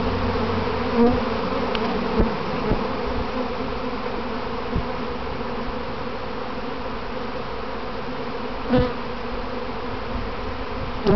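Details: Honey bees in a practice swarm around their owner's hive box, later clumping on the box and returning home: dense, steady droning hum with low layered tones, a few louder buzzes as individual bees fly close past.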